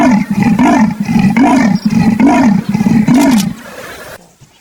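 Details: Leopard giving a rhythmic sawing call, each hoarse stroke rising and falling in pitch, about five strokes in quick succession before fading out.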